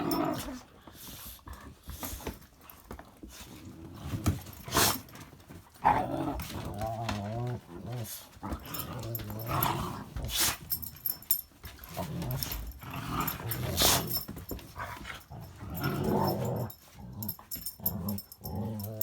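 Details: Two dogs, a little rescue pup and a big one named among Kyla and Knight, wrestle inside while it is wet and icy outside. Rumbling, rippling growls and snorts mix with sharp knocks and a voice.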